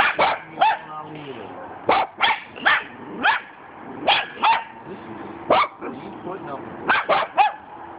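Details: Cockapoo dogs barking at a cement dog statue, shrill barks repeated every half second or so in uneven runs, with a man's voice commenting and laughter between them.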